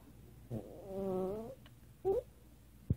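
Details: Female Maltese dog making funny sounds indoors: a wavering, nasal, moan-like whine lasting about a second, then a brief upward yelp, while a person quietly tells her to be good.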